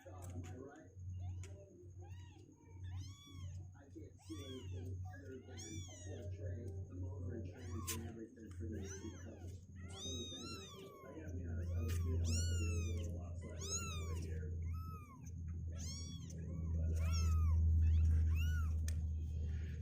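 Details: Two-week-old kittens, healthy and with legs growing stronger, restless and unwilling to sit in their box, give many high arched meows, scattered at first then denser and overlapping, over a steady low hum.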